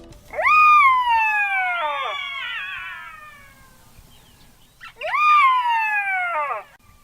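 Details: Jackal howl, one of the most recognisable sounds heard at night in South Africa, played as a quiz sound. Two long wailing howls leap up sharply, then slide slowly downward for about two seconds each, separated by a short silence.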